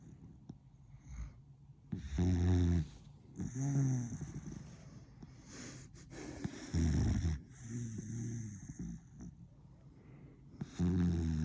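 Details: Dizyusha, a pet beagle, snoring while asleep: four loud, low rumbling snores with a throaty buzz, spaced a few seconds apart, with softer wheezy breathing in between.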